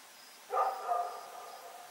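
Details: Rex, a dog running around in the night, recorded October 7, 2018, gives a single harsh bark that trails off into a drawn-out, wavering tail over a quiet background with a faint high hum.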